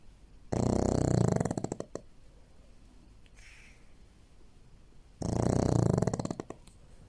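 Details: A pug snores loudly while asleep on a shared bed, each rasping breath ending in a fluttering rattle about every five seconds.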